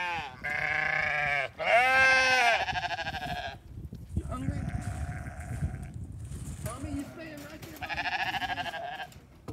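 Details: Flock of sheep fed hay while a new ram lamb calls hungrily; several loud tremulous bleats in quick succession, some overlapping, with a man talking in between and rustling underfoot.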